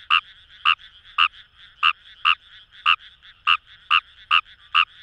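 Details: Fejervarya kawamurai calling in paddy fields along the Kamo River, Itoshima, Fukuoka, Japan: short sharp croaks repeated about every half second, eleven notes, loud and clear over a quiet background.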